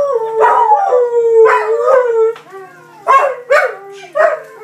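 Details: Belgian Malinois twin dogs howling together after their owners leave, captured on an iPhone; drawn-out, sliding howls that dip and rise, broken by brief gaps and a few sharper, louder bursts.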